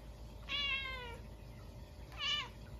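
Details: Munchkin cat meowing indoors at midnight on a snowy day after a stink bug got into the house: two loud, harmonic-rich meows, the first long and gently falling, the second shorter and rising then dropping, over quiet room hum.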